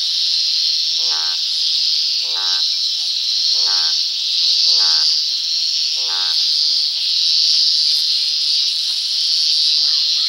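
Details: At dusk, a toad's croaking comes as five grating, ribbed calls about 1.2 seconds apart, then stops. A dense, high-pitched insect drone carries on throughout.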